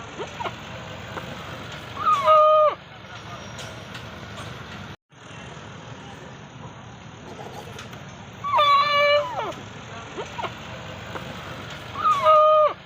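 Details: Goats at play; three nasal bleats over roughly ten seconds, each a steady, rich tone under a second long ending in a downward slide, against persistent low droning noise with occasional light taps.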